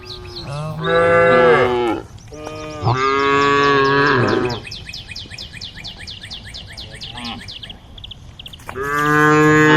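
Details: Group of cows on a road at the forest edge calling the herd: three long, drawn-out moos with rich harmonics, separated by quiet gaps filled with rapid, high bird chirping.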